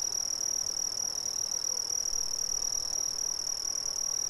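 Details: Brazilian crickets chirp at night in a steady, high, shimmering trill that never pauses.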